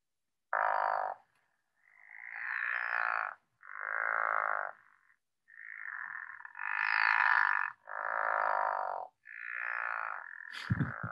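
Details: A pickerel frog, an early spring breeder, gives a series of low, rasping snores, each about a second long, with spring peepers calling in the background.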